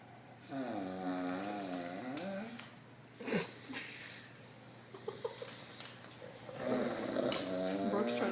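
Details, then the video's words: Dog named Zeke making odd noises while playing tug with Gracie indoors: drawn-out wavering, moan-like whines at the start and again near the end, with scuffling and thumping from the play in between. "Zeke Makes Odd Noises"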